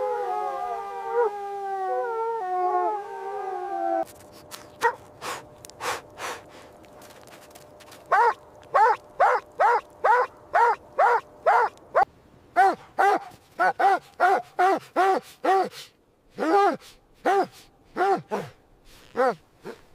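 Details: Playful puppies and their mother dog in fresh white snow in winter; a sustained wavering howl-like tone opens, then a long series of sharp, irregular barks and yips follows, sometimes in rapid bunches.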